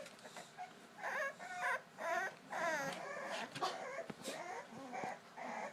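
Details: English Bulldog puppies at the edge of their pool, trying to escape, whine and yelp in high, wavering bursts, wanting to be let out to play.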